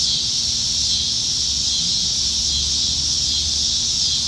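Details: Evening cicadas singing in Nebraska trees, summer 2019; a constant high-pitched sizzling drone, even and unbroken, with a soft low background rumble.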